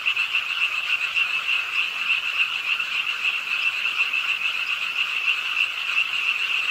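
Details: Frogs calling with the rainfall beside a city park pond in Suwon late at night: a thick, continuous wall of fast, shrill, overlapping croaks with no pauses, backed by an even rain hiss.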